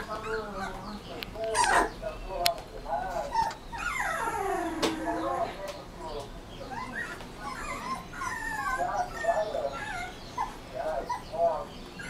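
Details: Rottweiler puppy whimpering: many high, curved, harmonic whines rising and falling, often overlapping, with short yips between them over about twelve seconds. Scattered clicks and sharp knocks run underneath.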